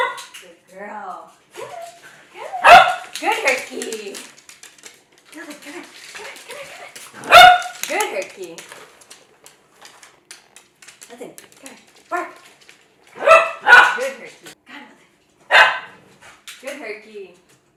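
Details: Two Cavalier King Charles Spaniels barking in a kitchen as they chase their owner around the island while being clicker-trained to bark on command; loud yappy barks at irregular intervals, a few whimpers, and a person talking.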